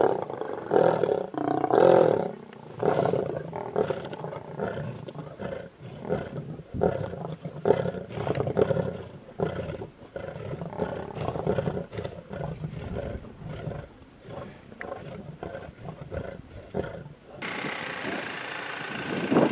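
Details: Large pride of lions feeding on a buffalo carcass in the road near Satara, Kruger National Park, South Africa; continuous rough growling and roaring bursts throughout, ending in a harsh broadband noise.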